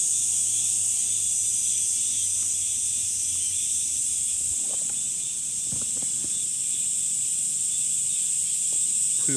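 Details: A steady, piercing wall of summer cicada buzzing runs the whole length, overlaid by scattered clicks, taps and a faint murmur of low sounds in the middle section.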